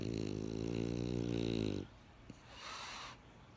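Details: A French Bulldog snoring: a long, rattling, harmonic-rich inhalation lasting nearly two seconds, then a quiet pause and a softer, airy breath out.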